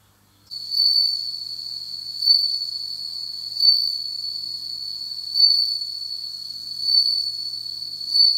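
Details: Captive bell cricket kept indoors, beginning to sing in autumn: a continuous high, pure ringing trill with swelling bursts roughly every one and a half seconds.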